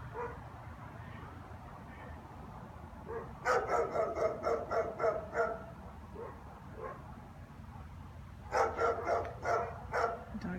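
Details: German Shepherd dog barking at nothing in a quiet street on a January afternoon, as it does every afternoon; two bursts of rapid, rough barks, about four per second, separated by a quieter gap with faint low traffic rumble.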